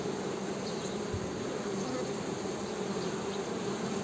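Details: Western honey bee hum: an even, low, buzzy drone with a higher overtone. A soft thump sounds briefly near the start, and a few faint high chirps are heard.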